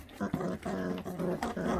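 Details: Growling from a feral dog's puppy as it eats: a brief quiet start, then continuous low harmonic rumbles in several pulses with small breaks.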